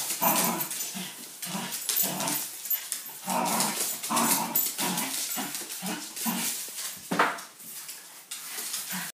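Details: Indoor Wire Fox Terrier tugging at a broom in play, steady pulsing growls and grumbles repeated about twice a second, a sharper yelp-like burst near the end, French-speaking voice nearby.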